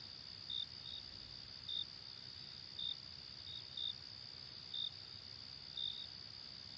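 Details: Cricket calling with brief shrill chirps roughly every second, some doubled, set against a continuous high-pitched insect hum.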